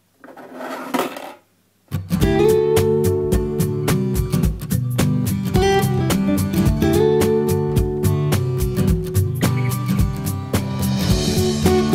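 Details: Strummed acoustic guitar music plays after a brief opening rustle, with no animal voice.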